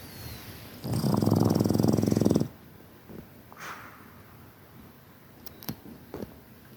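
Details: Boston Terrier snoring in its sleep: a single vibrating, rattling snore of about one and a half seconds, followed by soft breaths and a few small clicks and taps.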